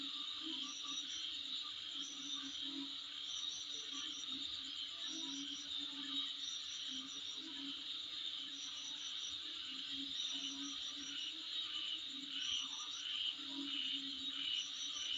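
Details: High, continuous insect buzz recorded in front of a dwelling, broken by clusters of quick pulsed chirps at irregular intervals, with a low constant hum beneath.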